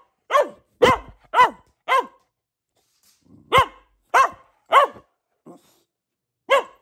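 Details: Barking from a pet female Boxer: four rapid harmonic barks, a short quiet gap with a faint low huff, then further barks about half a second apart and a small soft yelp before the last bark.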